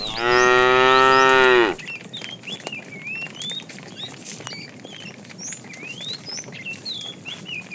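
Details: In the afternoon, while a herd of tame cows is being herded, a fat cow gives one loud, rich moo calling to a female, with birds chirping behind.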